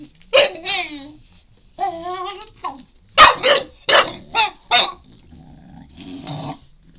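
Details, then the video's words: Shar Pei puppy, four months old, vocalising while asking for a chew: wavering whines and a rising moan followed by a rapid series of gruff, barking grumbles, then a low groan. "funny shar-pei puppy- wants a chewie and making alot of funny noises"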